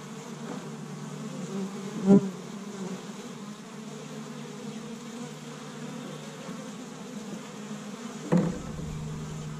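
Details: Steady droning hum from a busy established honey bee hive in Michigan on the first warm day of spring, interrupted by two sharp knocks, one early and one near the end.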